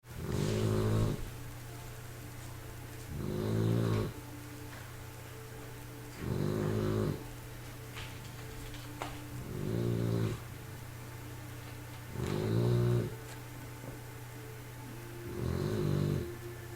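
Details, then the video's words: Three-month-old bulldog puppy snoring while asleep. Six rasping, rumbling snores come about every three seconds, each lasting about a second, over a faint steady hum. "3 Months old bulldog snoring"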